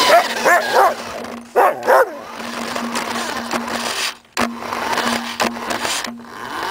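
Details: Pet Samoyed called Suka playing with a remote-controlled car: a few rapid yappy barks at the start, then mostly the steady humming whine of the toy's motor with clicks and thumps.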